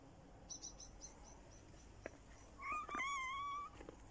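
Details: A domestic cat in winter, one drawn-out, slightly wavering meow lasting about a second after some soft clicks and faint high chirps, over steady background noise.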